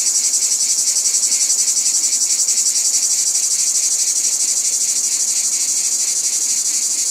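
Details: Shrill, continuous cicada chorus: a thick high buzz with a steady, quick pulsation and a lower throbbing tone beneath, unchanging throughout and with no other sounds.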